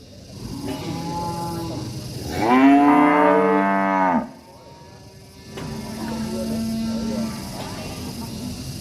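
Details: Angry cattle in a village: a single loud, drawn-out bellow lasting nearly two seconds, followed by a quieter, lower, steady moo from another animal.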